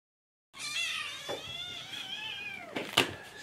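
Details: Several kittens, Jugg, Anita and Ru, meowing for food in the morning: overlapping high, wavering meows stacked with harmonics, a loose choir of drawn-out cries, ending with a sharp knock or door sound.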